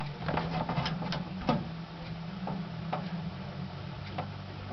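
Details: Female pet Madagascar day gecko, sounding off as a camera lens is held in front of her: a series of sharp, dry clicks scattered through the first four seconds, some in quick pairs, over a steady low indoor hum.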